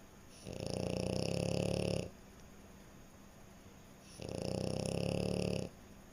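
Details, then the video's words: French Bulldog asleep and snoring: two long, coarse, droning snores of about one and a half seconds each, with a hissing edge and a quiet pause of roughly two seconds between them. "Snoring French Bulldog"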